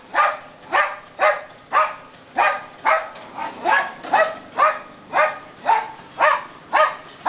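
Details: Mylolo, a small pet dog kept as a little security guard, barks in a steady series of about fourteen sharp, harmonic barks, roughly two per second, with slight variation in loudness and no other clear sounds.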